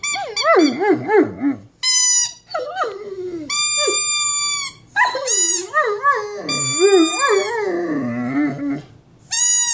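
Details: Large Mastiff producing a vocal, wavering howl. Quick yodelling wobbles open the clip, then come long steady ringing notes and bending, swooping tones, with short silences between bursts.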